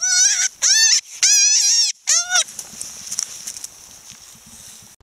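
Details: A wild cottontail rabbit gives shrill, wavering distress screams in quick bursts while being handled before release unharmed, then rustling handling noise follows.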